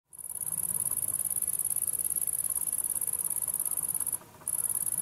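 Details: Lesser marsh grasshopper filmed close up at Deal, Kent, UK, on 26 August 2022: a dense, very high-pitched rasping stridulation, rapidly pulsed and unbroken for about four seconds, then a brief pause before the buzzing resumes.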